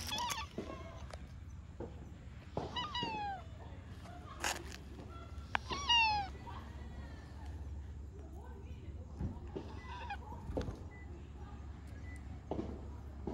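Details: Stray orange tabby cat met again outdoors, giving several short falling meows spaced a few seconds apart, with people talking and steady low street rumble behind.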